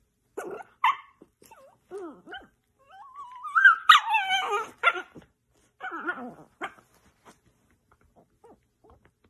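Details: Playful miniature dachshund: a rising, drawn-out whine climbs into a burst of yelping yips, followed by short scattered whimpers and squeaks.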